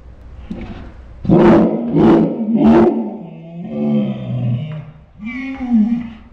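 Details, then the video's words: Saint Bernard dog 'talking' indoors, its odd vocalizations likened to dinosaur sounds; three rough, roaring bursts in quick succession, then a longer groaning moan and a final rising-falling howl-like note. "My Saint Bernard makes dinosaur sounds"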